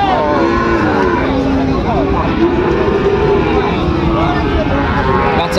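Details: Sahiwal bull calves at Raniganj cattle market, Dinajpur, on 29 August 2024: a long, low, droning moo holds steady for several seconds beneath loud market chatter and general crowd noise.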